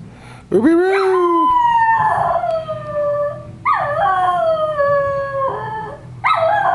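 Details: A schnauzer howls at home in three long bouts, each starting with a quick rising swoop and then settling into a steady, slightly wavering tone that sinks gradually before stopping.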